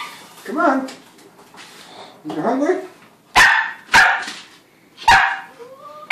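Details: Sheltie puppy, a registered female nearly five months old, recently started barking when fed. A person talks at first, then four sharp, clipped barks follow, roughly one per second, with a short whine-like tone after the last.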